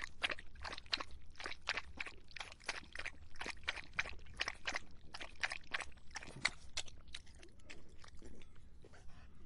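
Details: Thirsty dog on a hot summer day drinking, rapid even lapping strokes about three each second that slow and fade toward the end.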